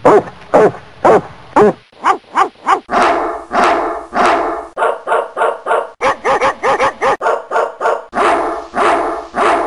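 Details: Dogs barking in Coffs Harbour, New South Wales, Australia, as a nuisance complaint: a spliced run of sharp, repeated barks from several dogs of differing pitch, some high yips, others deeper and longer, with abrupt cuts between bursts.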